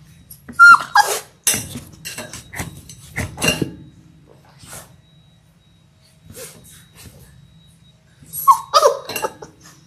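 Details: Six-week-old Labrador Retriever puppies from a litter of six born January 18, 2022, on a February 28 live puppy cam: short, high, squeaky whimpers at the start and again near the end, with snuffling and rustling between.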